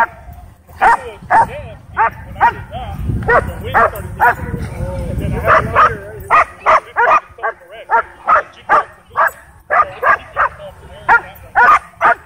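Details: Excited dog at a dog park chasing a DJI Mavic 2 drone, giving a long run of sharp, evenly spaced barks about twice a second, with whiny yelps mixed in and low wind rumble underneath.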